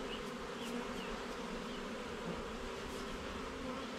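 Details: Honey bee colony droning steadily inside an opened hive during a frame inspection, an unbroken warm buzz with a few faint high chirps heard behind it.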